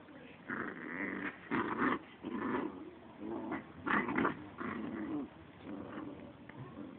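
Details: Small American Pit Bull Terrier, one of two dogs present, growling in a low, rough, rumbling series of bursts about half a second to a second long, repeated with short pauses, in a quiet indoor setting.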